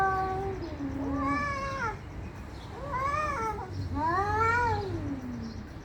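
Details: Fighting cats yowl loudly and angrily. Three long, rich, harmonic wails swell and bend downward, one after another, each lasting about a second, the last sliding into a low falling moan.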